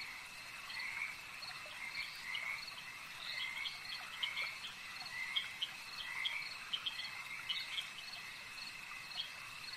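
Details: Chorus of frogs at a lake, overlapping raspy croaks rising and falling in waves, scattered sharp clicks and chirps over a constant high-pitched hum, possibly insects.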